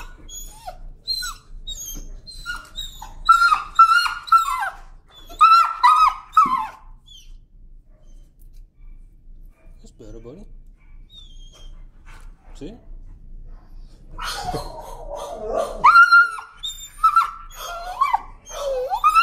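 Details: Timid dog afraid of the leash screams in protest during a walk: two bursts of shrill, wavering, high-pitched screeches in rapid succession, separated by a quieter stretch with a few soft whines, the second burst rising again near the end.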